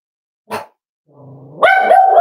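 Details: Cavalier King Charles Spaniel puppy almost 8 weeks old: a soft thump, then a low murmuring grumble that rises into a loud, clear, sustained whine cut off at the end.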